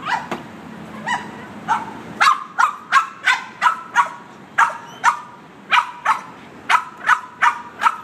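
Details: Boston Terrier going wild over the windshield washer: a few scattered barks over a low rumble, then a steady rapid run of sharp, high barks roughly every half second.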